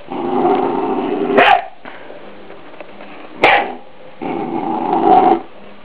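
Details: Young Scottish Terrier pet, three months old, confronting a deer skull to protect its owners: long rumbling growls broken by two sudden sharp barks.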